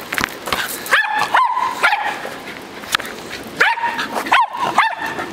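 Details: Playing with a ball, a dog lets out two clusters of shrill, rising yips and barks, two or three in quick succession each time, with clicks and scrapes of play between.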